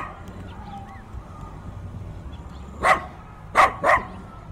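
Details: Dogs barking fiercely, recorded binaurally with in-ear microphones on a day of heavy wind: after a stretch of low wind rumble, three sharp barks come near the end, the last two in quick succession.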